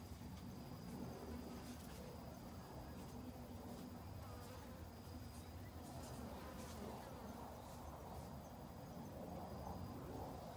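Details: Busy honey bees in autumn, gathering food before winter, produce a steady low hum of wings, louder and fuller at times, with a thin high tone and occasional brief clicks in the background.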